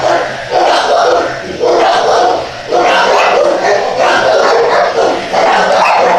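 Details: A crowd of dogs barking together in a steady, overlapping din of harsh barks that swells and fades about once a second, with a faint background murmur.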